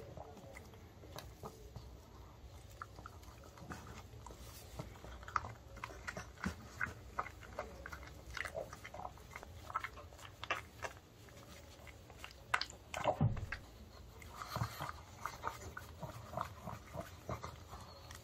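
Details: Male pug indoors in early summer eating homemade dog-safe chicken of boiled breast, broccoli, paprika and rice-flour batter; dense crunchy chewing and sharp biting clicks, irregular, with a soft room hum and a person briefly giving commands in Korean.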